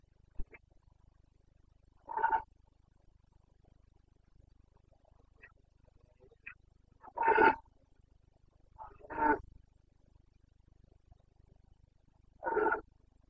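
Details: Carpathian red deer stag in the Bucovina mountains, Romania, roaring during the rut (boncănit) on 29 September 2022: four separate hoarse, harmonic-rich roars spaced several seconds apart, with quiet stretches between them.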